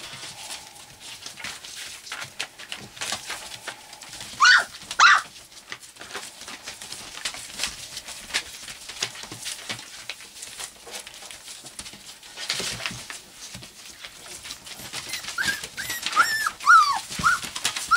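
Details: Four-week-old white English cream golden retriever puppies give brief, high, arching whines and yelps over a steady background rustle.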